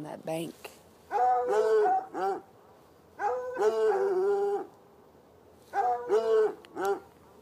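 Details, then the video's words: On a Saturday night, a pair of hounds chained outdoors near an irrigation ditch and red outbuilding bay from about ten yards away. Drawn-out, howl-like barks come in groups, some stretched and wavering, separated by short quiet gaps. "Barking dogs"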